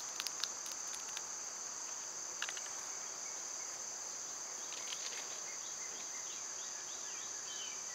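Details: Cicada drone on a summer day, birds and squirrels nearby: a sustained shrill whine continues steadily, with bursts of rapid tapping early on and a run of short bird chirps in the second half.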